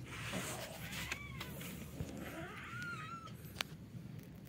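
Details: Village kittens fighting on roof tiles at night: several thin, faint wailing mews that rise and fall in pitch, scattered across the recording over a steady low hum with sharp clicks and knocks.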